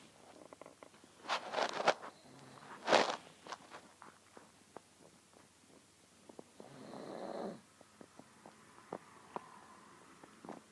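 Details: Grimley the pug fast asleep on a person's lap, giving a few loud, rough snorting breaths early on, then a longer, softer, droning snore later, with quiet clicks and small rustles between breaths.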